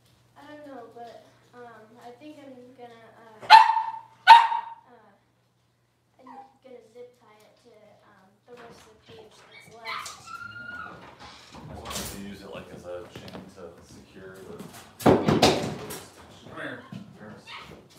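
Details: Six-week-old Cavalier King Charles Spaniel puppies in a puppy pen, handled while being dewormed and having toenails trimmed: two sharp, loud yelps in quick succession, later a thin drawn-out whine, with people talking softly and handling noises throughout.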